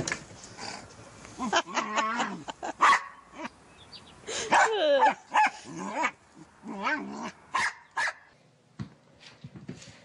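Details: Corgi, a pet dog, in a compilation of silly, derpy moments; loud harmonic whining yelps and short barks rise and fall in pitch in irregular bursts, with a low growling undertone and brief pauses between outbursts.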